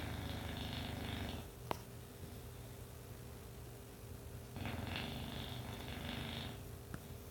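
An English bulldog snores in loud, rattling bursts, each breath a rough, low buzz.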